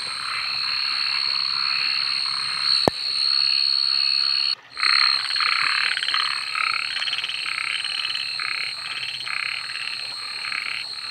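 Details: Frogs calling at night, heard after a sharp click and a brief dropout, then rapid grating croaks in short, irregularly spaced bursts over a steady, shrill high-pitched whine that runs throughout.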